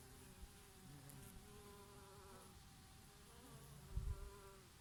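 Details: Oregano flowers visited by bees in summer, occasionally a bumblebee: a close, sustained hum holds steady while a second buzz swoops upward and back, then a short gust of breeze bursts in just before the end.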